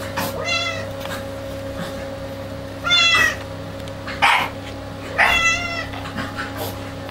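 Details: Clouded Bengal cats indoors giving several drawn-out, nasal meows at irregular intervals, some rising then falling, over a steady electrical hum with a short scuffling noise in between.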